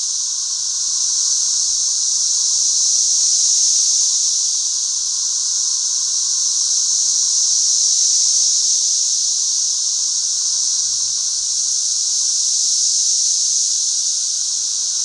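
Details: Thousands of 13-year periodical cicadas swarm and fly all over a back yard, their massed chorus an unbroken, high, hissing whine with a fainter steady hum beneath, slowly swelling and easing, otherworldly in tone.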